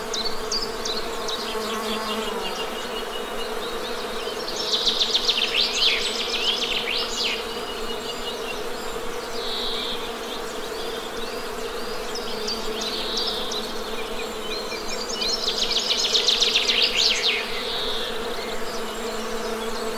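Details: Steady low buzzing of honey bees runs throughout, overlaid by two bursts of loud, rapid bird trills and chirping high above the drone.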